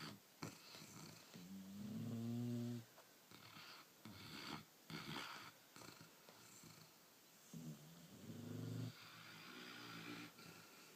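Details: Sleeping puppies after a hard day snore softly indoors: low, rasping, buzzy breaths with a tonal edge, the two clearest drawn out around two and eight seconds apart, with quieter snuffling breaths between.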